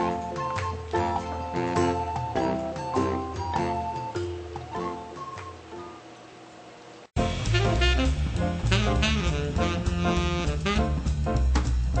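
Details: Jazzy swing music with saxophone-like melody plays, breaks off briefly near seven seconds, then resumes louder with full band; no animal calls stand out.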